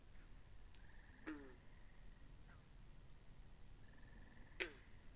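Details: Binaural capture of frogs beside a pond: two sharp, grating croaks a few seconds apart, each followed by a thin, level trill, against quiet low background noise.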